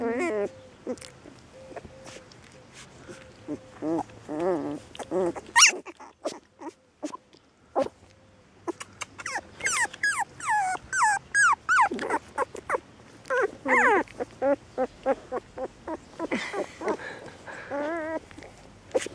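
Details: Young puppies whimpering almost without pause, with many short, high, bending whines that crowd together in busy bursts and a brief quiet gap partway through.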